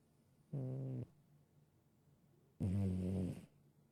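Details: Male domestic cat, adopted from a shelter, that has always snored: two low, rasping snore breaths about two seconds apart, the second louder and longer, with quiet pauses between.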